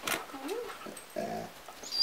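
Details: Chloe, a White German Shepherd, talking to her owner in the morning: a short whiny vocalisation that bends up and down in pitch, followed by a brief harmonic moan, with a voice nearby.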